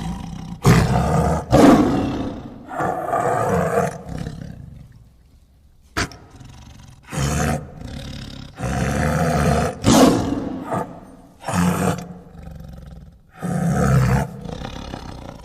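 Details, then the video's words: Tiger uttering a series of short, deep roars and grunts, about seven bursts over fifteen seconds, each a coarse rumbling blast followed by a brief fade. "Tiger Sounds"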